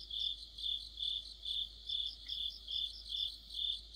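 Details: Cricket chirps in an autumn insect chorus by a streetlight, ringing out about twice a second in an even rhythm. A higher, softer pulsed trill accompanies them over a faint low hum.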